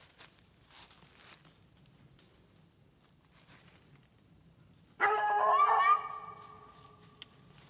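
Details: Treeing Walker Coonhound on a raccoon track outdoors: after several seconds of near quiet, a single loud bawl lasting about a second, harsh then trailing off, with a faint click afterwards.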